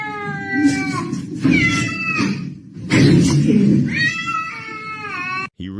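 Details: Domestic cat yowling in long, drawn-out, wavering meows, three or four sustained bursts with short breaks between, while a man's voice is heard alongside.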